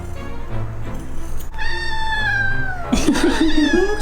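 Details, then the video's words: Cat protesting with a 'kkyang kkyang' voice as its paw fur is trimmed. A long, steadily falling meow is followed by a wavering, warbling yowl, with music playing underneath. "고양이 발톱털 꺙꺙 목소리"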